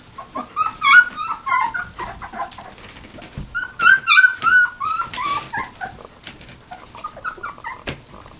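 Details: Puppies nineteen days old in a burst of loud, wavering whines and squeals, some in quick repeated series, interrupted by clicks and handling noises, fading to softer whimpers at the end.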